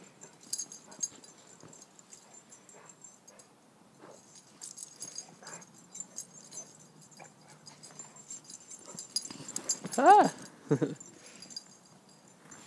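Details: Two dogs playing in snow, Gunner, a 2-year-old American Bulldog and boxer mix, and Achilles, a 7-month-old Rhodesian Ridgeback: soft scuffling and tag jingling, then one sharp rising-and-falling whine near the end, followed by a short low grunt.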